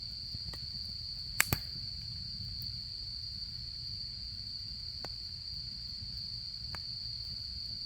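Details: Insect sounds of autumn at a campsite with a campfire: a continuous shrill, even trill throughout, broken by a loud double crackle early on and a few fainter snaps from the burning fire later.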